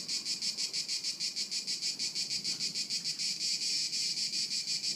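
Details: Cricket chorus recorded in 2013 at Haut-de-Cagnes: shrill, high trilling pulses beating about three times a second at a constant pace, with soft background murmur underneath.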